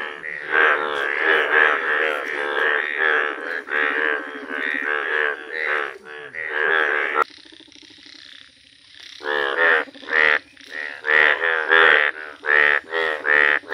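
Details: ['A village chorus of yellow Indian bullfrogs: rapid, pulsing nasal croaks stacked densely, then a brief quieter lull before sharp separate croaks return, spaced roughly half a second apart.']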